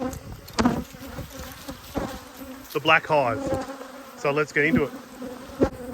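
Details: Close-range honey bee hum at an open hive being inspected, 19/3/22: a constant low drone broken by two swooping, harmonic-rich buzzes of passing bees, plus occasional taps and knocks.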